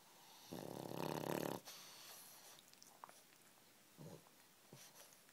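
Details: Sleeping pug wheezing and snoring in a blanket: one loud, harsh, breathy snore lasting about a second, followed by quieter snuffles and short wheezy breaths in a small room.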